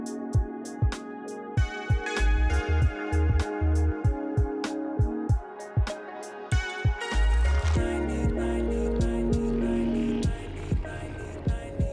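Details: Plucked guitar and keyboard music with a steady beat, starting sparse and then swelling into a fuller arrangement, with no animal sounds.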